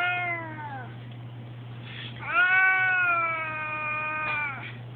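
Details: Male domestic cat indoors by a window, crying because he is upset at being kept inside: two drawn-out harmonic meows, the first sliding downward, the second longer and steadier at about two seconds, over a constant low hum.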